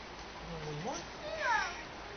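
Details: A seal pup being fed at Lenie 't Hart's seal creche gives a drawn-out, moaning cry: a low note that slides upward, then a brighter, bending wail, heard over soft room noise.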